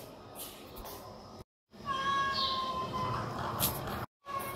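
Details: Hungry homeless cats calling loudly for food in the morning before being fed boiled chicken; one drawn-out, level meow holds steady for about a second amid street background noise, with short silent gaps around it.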